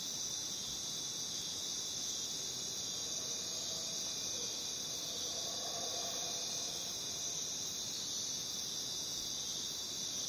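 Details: Jungle crickets forming a continuous high, ringing insect chorus that never breaks, with soft, faint lower tones drifting in around the middle and a quiet hissing background.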